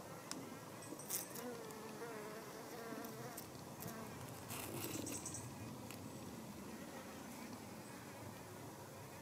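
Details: Hoverfly, the sun fly Helophilus pendulus, working cucumber blossoms inside a greenhouse with males and females present; a low, wobbling buzz that shifts in pitch as it flies, with scattered sharp clicks and faint high ticks.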